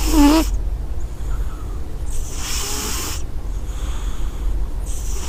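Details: Sleeping cat's snore opens with a short, whistly nasal squeak, followed by three long, airy breath sounds spaced about a second apart, with a low background rumble.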